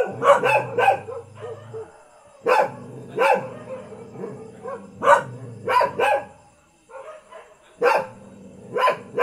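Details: Household village dog from Thailand barking in separated bursts, single and paired sharp barks spaced a second or two apart over a low background hum.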